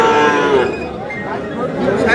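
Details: Sahiwal bull calf at a busy cattle market (haat) on 5/5/26. A short, nasal moo opens the recording, then fades as men's voices discussing prices take over amid background chatter.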